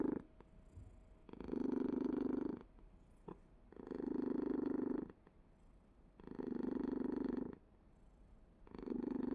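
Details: A pet cat purrs continuously: deep vibrating rumble swelling into four strong bursts roughly every two and a half seconds, fading to a faint hum between each.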